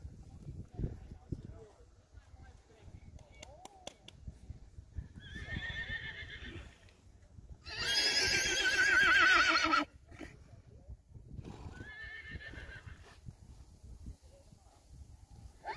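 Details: Young Friesian horses, five foals leaving without their mothers, calling in repeated whinnies: a shaking neigh, then a loud, long, trembling one, then another, between stretches of quieter shuffling and hoof noise.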